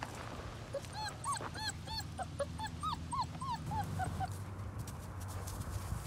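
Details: Doberman puppy playing with another dog, giving a quick series of high, arching whimpers and yips in the first half, then quieter, with low rumbling background noise throughout.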